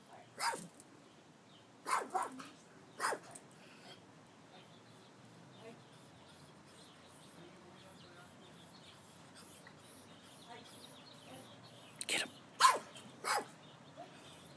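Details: Sharp barks from a Chihuahua rat terrier on guard at a house in Palm Springs come in two bursts, a few at the start and a cluster near the end, separated by a long quiet stretch.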